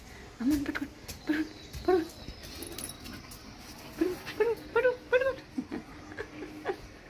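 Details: Dog, possibly a puppy, whimpering in short high squeaky yelps, three spaced notes followed by a quicker run of four climbing slightly in pitch, with soft rustling and handling noises between them.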